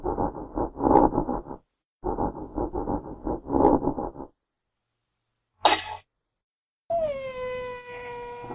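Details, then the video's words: Genet giving two runs of rapid, rough pulsed grunting, then a sharp hissing burst and a clear, drawn-out mew that drops in pitch and levels off. "Real Genetta Sounds"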